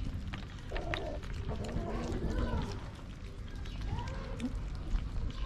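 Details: Tortoiseshell stray cat among several ginger cats, meowing to ask for food; a few arched, drawn-out meows rise and fall, one near the start and another later, over steady low outdoor rumble.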